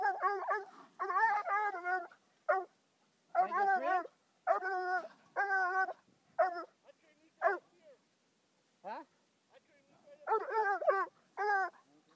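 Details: Five-month-old Bluetick hound confronting a raccoon that was afterwards released unharmed. Clusters of loud, musical barks and yelping bawls, separated by short pauses, with a quieter stretch near the middle before another burst of barking.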